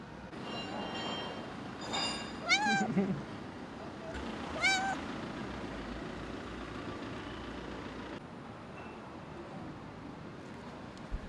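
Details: Female stray cat calling as she runs toward the man who raised her; two rising-falling harmonic meows about two seconds apart, over steady low background noise.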